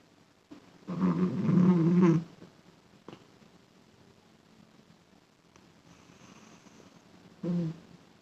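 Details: A domestic cat snoring: one long, low, rasping breath lasting about a second, a long quiet pause, then a shorter rasping breath near the end.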